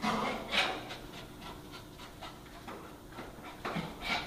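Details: Casper, a dog racing about wildly, breathes in soft, rapid, uneven pants, roughly two per second, with a few sharper airy bursts near the start and end.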